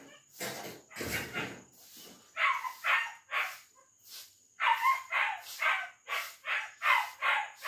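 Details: Female German Shepherd puppy, two months old, giving short, sharp yelping barks in uneven runs, several in quick succession toward the end, over a faint steady high tone.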